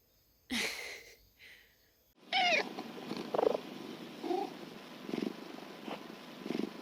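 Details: Housecat sister crying out while parted from her sibling for an antibody test at the vet, Korea, 2020; a short muffled cry, a pause, then a loud strained wail followed by quieter repeated cries over background noise.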